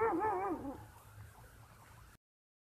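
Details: Sheep giving a single wavering, quavering bleat with a trembling pitch, loud at first and fading within about a second, followed by quiet background murmur.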